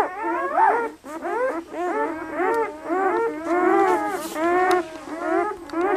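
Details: Litter of eight red and black German Shepherd puppies at two days old, five boys and three girls, at Seelenvoll kennel, Maine; several pups squeal together in arched, wavering whimpers, roughly one and a half per second, nearly continuous.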